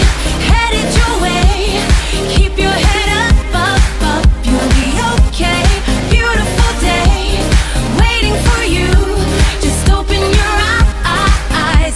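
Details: Loud pop dance music with a steady heavy beat and singing runs throughout, with no animal voice.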